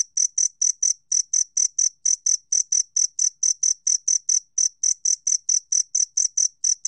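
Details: Rapid, regular chirping of a two-spotted cricket: short metallic pulses repeated several times a second at high pitch, steady in loudness throughout, on a clean, quiet background.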